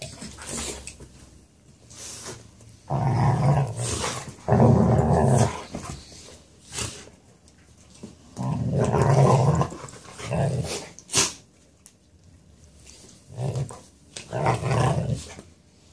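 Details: Dogs wrestling indoors over who gets couch rights, with Seneca grumbling: deep rumbling growls in bursts of one to two seconds, irregularly spaced, with scuffling and thumps between them.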